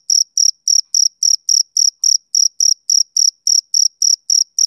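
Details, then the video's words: Male cricket giving rhythmic chirps, clipped shrill pulses about four per second in an unbroken even series, nothing else audible. "Cricket Chirping Sound Effect"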